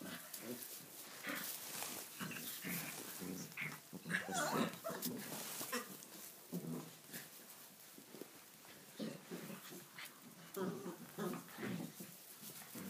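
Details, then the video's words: Six-week-old Tibetan Mastiff puppies playing wildly in a stable for the first time, in Sweden, kept indoors because it is wet outside; a rapid, irregular jumble of short growls, grunts and yips with scuffling. "Tbetan mastiff puppies in our stable"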